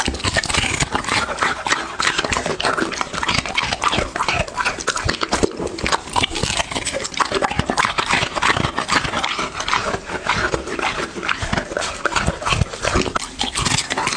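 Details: A pet dog eating, recorded close up for ASMR: a steady stream of crisp crunching and clicking chews, packed tightly together with brief pauses, over the whole stretch.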